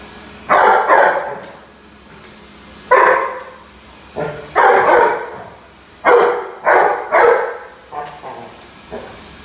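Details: Indoors, a Rhodesian Ridgeback reacts to a vacuum cleaner with bursts of deep, rough barks, often in pairs or triplets, about ten in all, while the appliance drones steadily underneath.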